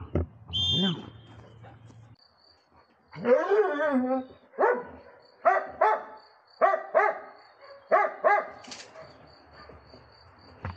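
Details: Magmar Von Der Burgstätte, a Dobermann aged 11 years 3 months, gives a series of tonal, harmonic barks about once a second, each with a bending, slightly drooping pitch. A short high-pitched sound opens the recording before a pause.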